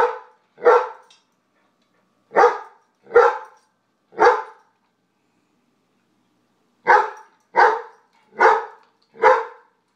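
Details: Food-hoarding dog, Brooks, barking at housemate BJ, a White Shepherd and Jack Russell pairing, over nuggets; nine loud barks in pairs and triplets separated by short silences, with a longer gap near the middle.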